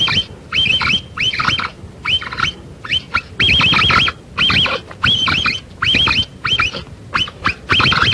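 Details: Capybara call, said to draw the animal closer when played: rapid series of short, hooked, whistled notes repeated in bursts roughly every half second, each note dipping and rising, over a steady background hiss.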